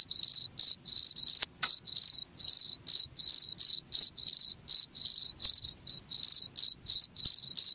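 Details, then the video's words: Cricket giving a run of shrill, rapidly pulsed chirps, roughly four per second, evenly spaced with small pauses, one faint click near the middle, otherwise quiet background. "SUARA JANGKRIK"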